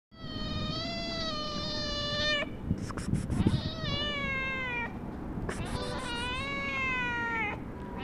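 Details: Black domestic cat meowing, as though trying to tell its owner something. Three long, drawn-out, tonal meows rise and then fall, the last two close together. A steady low hum runs underneath.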